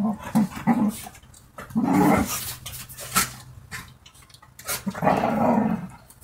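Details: Dogs playing and fighting with each other: low rumbling growls in several bursts, the longest around two seconds and near the end, with short snarls and scuffling noises between them.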